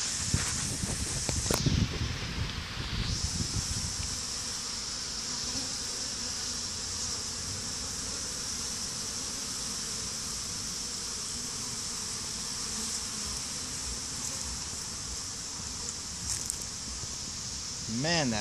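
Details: Honey bees swarming over a stump near beehives, some fighting, days after a small swarm was combined with a hive; a dense, steady buzz of many bees throughout, with brief rustling early and faint music.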